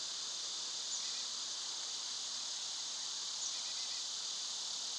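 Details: A constant high whirring drone of summer cicadas dominates, overlaid twice by small clusters of quick, quiet bird chirps.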